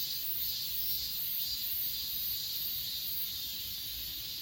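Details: Shrill, even chorus of grass insects from Achasan, recorded with an S20 Ultra, beating in quick rhythmic swells just over twice a second beneath a faint upper whine.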